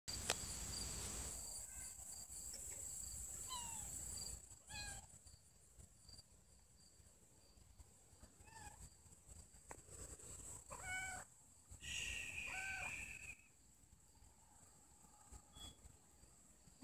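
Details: Mother cat Puffy-fluffy with her kitten Snow White; a few short, high, bent mews sound at intervals over a steady high whine and faint background hiss.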